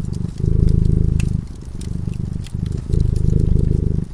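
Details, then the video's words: Deep, rhythmic purring from a cat dozing by a cozy fireside. Buzzy low pulses rise in strong bursts, dip briefly, then return, with scattered crackling from the burning fire. "Purring cat"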